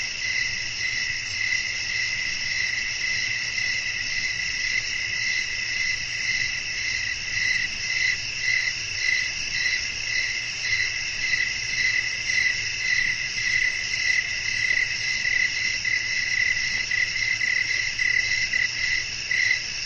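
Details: Night-time nature ambience of crickets calling amid a light wind, meant for relaxation and sleep; steady rapid pulsing chirps in a high band, overlapping callers forming an unbroken ringing drone over faint background hiss.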